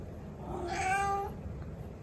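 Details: Turkish Angora cat, a very vocal household cat kept with Norwegian Forest Cats, giving a single drawn-out meow of about half a second that rises then levels, in a quiet room.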